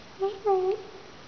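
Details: Young gray-blue rescue cat Raggles, a "Russian Blue" who chats when spoken to, makes a brief two-part chirp: a short note followed by a longer, gently bending meow, all within one second in a quiet room.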